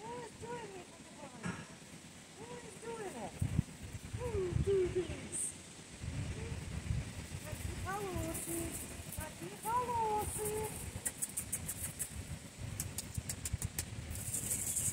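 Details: Alabai puppy, a Central Asian Shepherd at a breeder, said to like talking: a string of short arched whining yelps with clear overtones, repeated irregularly for about ten seconds. Low rustling and handling noise run throughout.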